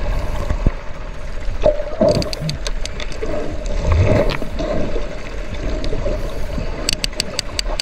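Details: Sperm whales socialising, possibly hunting, give clicks: sharp broadband ticks in short runs, heard over low rumbling water noise.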